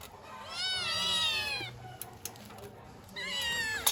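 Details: Kittens calling because they want their mother: a long, bright, harmonic meow falling slightly in pitch, a pause with small clicks, then a second shrill meow that drops at its end.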